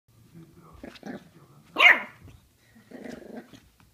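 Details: Jack Russell Terrier puppy fighting with a mandarin indoors: soft low growling throughout, one sharp high bark near the middle, then rough growling again.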